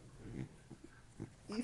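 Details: Pet Beagle whose voice sounds like a pig, giving a few short, low, wheezy snorting bursts spaced under half a second apart, ending in a louder nasal grunt, with a woman's voice nearby.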